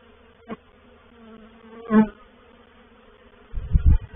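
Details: Reproductive swarm of honey bees moving into a bait hive, or swarm trap, at Painted Peacock Manor on 04/07/21: a steady low droning hum with layered harmonic tones, a louder buzzing swell near the middle, and soft low thumps near the end.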